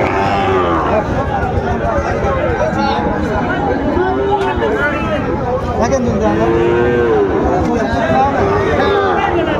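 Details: Sahiwal bull calves for sale at a crowded cattle market in Dhaka, Bangladesh, in February; several wavering, arching moos overlap a steady din of people talking and haggling.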